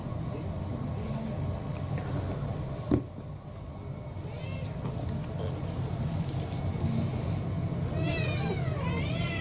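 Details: Kurumi, a roughly four-year-old brown tabby mixed-breed house cat, begging for dinner at home; after quiet household rumble, a brief faint meow comes, then a louder run of rising-falling meows near the end over low background hum.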